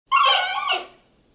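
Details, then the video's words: Giant panda at London Zoo, London, U.K.: a single short, bright, tonal bleating call with stacked harmonics, about one second long, falling slightly at the end, in a quiet setting. "Giant Panda Calls"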